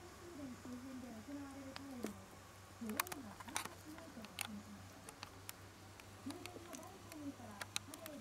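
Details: Shiba Inu puppy 屈, a few days old and just learning to stand, with eyes and ears opening, lets out drawn-out whines that rise and fall, then a run of shorter arched cries among occasional clicks and bumps.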